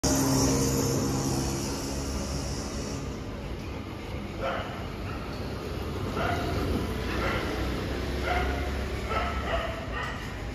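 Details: Labrador fighting street dogs outdoors; scattered short, harsh barks burst out every second or so midway through, half buried under steady loud background rumble and hiss.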